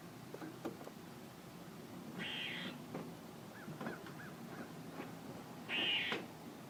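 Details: A squirrel makes two harsh, buzzy rasps several seconds apart, with soft short chips and clicks between them against light background noise.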